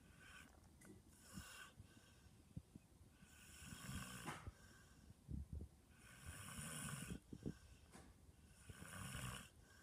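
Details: George, a dog, snoring softly in slow cycles, each breath a hissy rasping burst lasting about a second, repeating roughly every two and a half to three seconds, with faint low grunting pulses between breaths.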